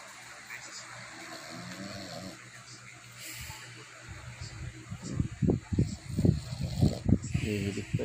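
A Boston Terrier snores in low, rumbling bursts that grow louder and more rhythmic.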